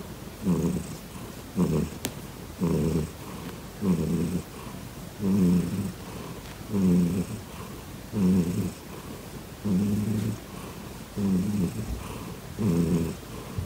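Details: Deep rhythmic purring from Grizzly, a domestic cat that purrs and kicks at once: steady low rumbling pulses repeating about every one and a half seconds, evenly spaced and strong throughout, no other sounds.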